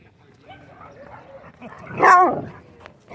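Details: Dog at a dog park giving one loud, sharp bark just after the midpoint, preceded by quieter low vocal sounds and faint voices, with soft outdoor background noise.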